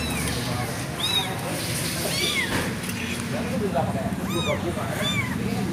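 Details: Abandoned kitten crying with high, arched meows, one following another in quick succession and sometimes overlapping, over a steady low rumbling murmur in the background.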